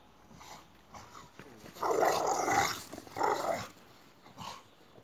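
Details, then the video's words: Boxer dogs at play chasing each other; a loud, harsh, sustained growl of about a second and a half, followed by a shorter throaty burst, with softer growls and scuffling before and after. "Боксеры играют в догонялки. Boxer Dogs."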